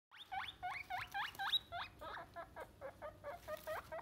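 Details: Guinea pigs squealing: a fast run of sharp, high squeaks, about four per second, each with a rising-then-falling shape, becoming shorter and more clipped in the second half.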